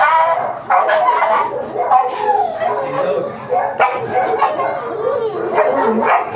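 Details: Chow Chow dog named Michael at a stud service in Manaoag, Pangasinan, giving wavering, high whines and yelps that rise and fall continuously, with people talking over and between the calls.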